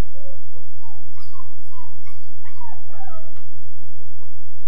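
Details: A Weimaraner puppy about 13.5 weeks old, howling in his kennel, gives a run of high, wavering wails, each sliding up then dropping away, coming quickly and overlapping over a steady low hum.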